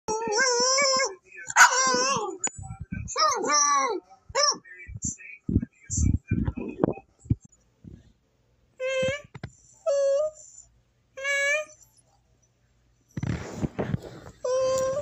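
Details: A deaf Boston Terrier howls in drawn-out, wavering, high-pitched notes, with a person talking between them.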